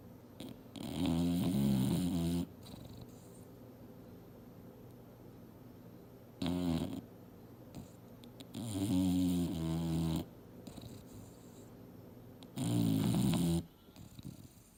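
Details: English Bulldog Mildred, asleep and dreaming on a couch, saws logs with four loud, low, rattling snores spaced several seconds apart, each about one to two seconds long, separated by near-silent pauses.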